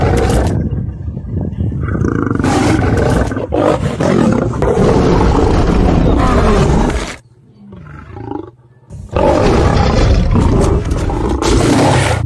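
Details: A Cape lion (Panthera leo melanochaita) roars and growls in deep, rough, sustained bursts.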